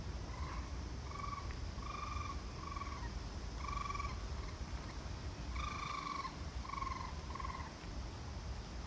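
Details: A raccoon (Procyon lotor) calls with short, quavering, tonal notes in uneven bursts over a low rumble of background noise.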